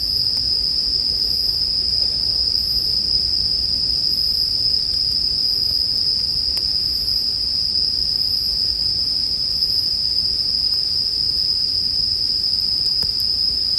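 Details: Unbroken, bright ringing song of bell crickets (suzumushi) lasting about fourteen seconds, uniform in tone, accompanied by a gentle low campfire rumble and a few scattered crackles from the fire.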